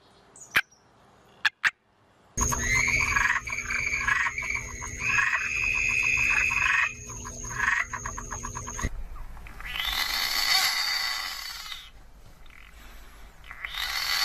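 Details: Frog chorus: dense overlapping croaks and rapid pulsing trills after a few sharp clicks, with a high steady whine running through the middle and abrupt cuts to a softer, hissing background later.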